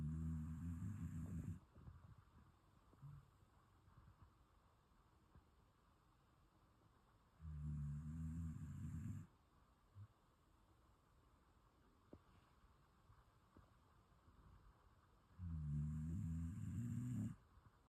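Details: Shiba Inu asleep and snoring softly: three deep, buzzing low snores, each about two seconds long, arriving roughly every eight seconds, with small snuffles between them in a quiet room.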